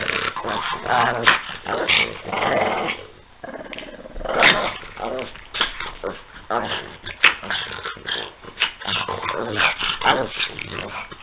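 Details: Playful growling from French Bulldogs Peanut and Daisy: continuous gravelly grumbles and snorts, pausing briefly before resuming, with a human voice mixed in.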